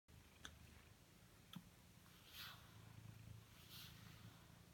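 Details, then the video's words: Blue British Shorthair cat that loves brushing, purring while being brushed: a quiet, steady low rumbling purr with pulsing texture, broken by a few soft clicks and brushing swishes. "Blue British Shorthair. Purrr Machine"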